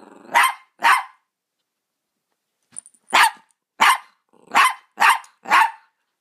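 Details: Double Dapple Dachshund born without eyes and deaf, barking on first meeting a cat: two quick barks, a pause of about two seconds, then a rapid series of five sharp barks.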